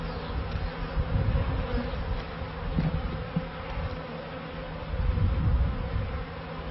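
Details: Steady droning hum of honey bees around the first hives of a beekeeping yard in 1994, with low rumbling surges that rise and fall every second or two.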